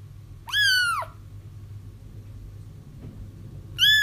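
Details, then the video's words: Kitten crying for trapping a feral mother: one strong arched mew, then a quieter stretch of low room noise, and the start of another high cry at the end. "30 minutes of Kittens Crying"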